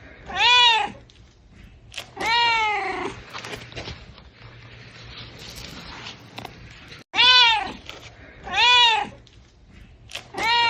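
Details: Kittens meowing: five arched, harmonic-rich meows, each under a second long, spaced irregularly around one to two seconds apart, with quiet room noise and a faint low hum between them.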